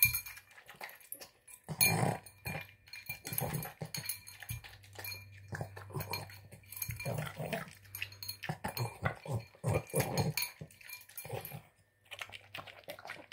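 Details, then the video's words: Boston Terrier devouring a tuna, egg and kibble dinner, producing repeated low snorts and snuffling chews in irregular bursts, with a steady low hum in the background and occasional dish clinks. "Boston Terrier Snorting Sounds Like a Pig Snorting Down Dinner"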